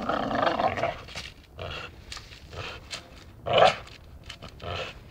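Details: Dachshund at play, biting, with scattered short growly vocal bursts of uneven rhythm, the loudest near the middle, between quieter gaps of thumping and rustling.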